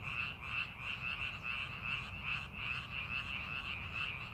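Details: Frogs croaking in a paddy field prepared for farming: a steady, slightly less regular chorus of pulsed calls repeating several times per second, with low background rumble.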